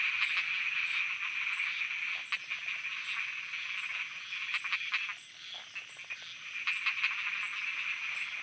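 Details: Frogs croaking at night in Thailand: short, clicky croaks come in quick irregular bursts over a steady, high, hissing chorus of night insects, with a few brief pauses where the chorus dips.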